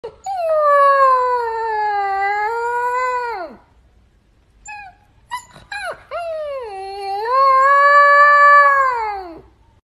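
A husky puppy gives two long, wavering howls, with a few short yips between them.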